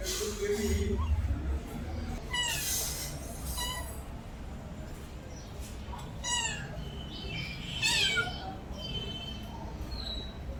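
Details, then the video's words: Pet cat meowing indoors; several short meows with falling, harmonic-rich tones, spaced a few seconds apart, over a steady low background hum. "my cat original sound and reaction"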